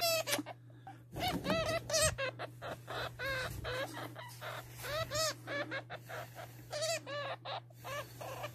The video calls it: hamster sound//صوت هامستر